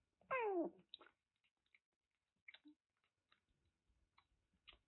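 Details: Lost kitten about one month old, a brown-tabby-and-white stray taken in in Kagoshima, Japan; one loud falling meow with clear harmonics near the start, followed by soft scattered clicks and chewing-like noises in a quiet room.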